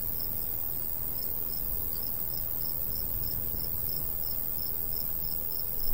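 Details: Countryside crickets in summer by a golden wheat field: evenly spaced high chirps repeat about three times a second against a steady high hiss, with light wind rumbling low and a brief gust at the end.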